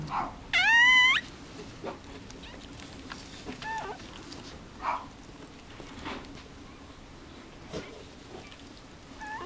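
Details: Newborn Mame Shiba Inu puppy at Housansou kennel in Japan, one of Rin's litter. A single piercing, wavering squeal lasts about half a second, then faint shuffling and quiet room sounds follow.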